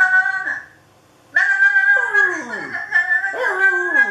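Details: Dog howling toward a webcam: one short howl fading out, a pause, then a sustained high, strained howl with quavering overtones and several downward-sliding glides.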